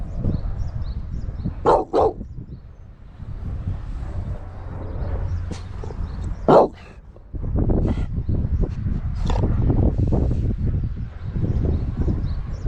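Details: Dogs playing at pet hotel WANDER in Naganuma, Hokkaido, Japan, including a bulldog, American cocker spaniel, Scottish terrier and mixed breeds; a few sharp single barks, two close together, then one more, over steady low rumbling noise.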